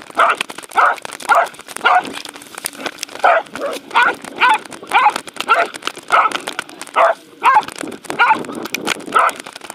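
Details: Welsh Corgi Roku at a dog park, 11 February 2019, in a chase with a fluffy Sheltie, Insta360 recording: steady series of short, bright barks, roughly one every half second to second, with scuffling in between.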